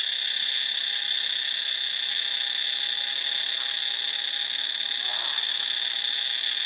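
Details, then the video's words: Cicadas in Ubon Ratchathani, Thailand, giving a steady, dense high-pitched buzzing drone with several shrill layered bands that continue unbroken throughout. A faint short lower chirp from another creature comes near the end. "เสียงจักจั่น (Cicadidae)"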